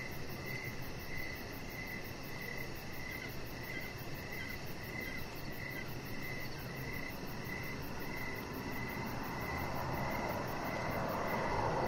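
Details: Evening crickets near a deck, chirping in quick, regular bursts against a bed of broadband noise that swells louder toward the end.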